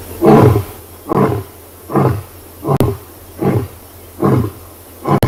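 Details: A big male lion at Tswalu Kalahari Reserve, South Africa, in the closing grunts of a roar after scent marking on the quarry at sunrise on 5 August. About seven deep, coughing grunts fall at a steady pace of just under one per second.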